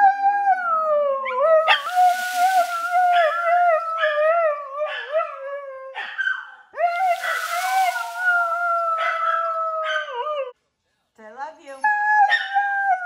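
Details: Siberian Husky "talking", howling out an "I love you": long wavering, yodel-like howls that bend up and down in pitch, several drawn-out phrases broken by brief pauses and one short silence, with sharp rising yelps between.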